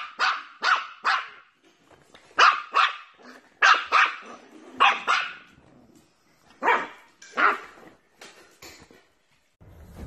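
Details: Playful wiener dog letting out loud, high barks in quick pairs and triplets, roughly fifty per minute at irregular spacing, with brief quiet gaps and a low rumble at the very end.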